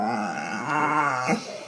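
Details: Dog making one of its funny, weird noises: a low, groaning growl with a steady buzzy tone, swelling slightly near the middle and ending in a short sharp catch.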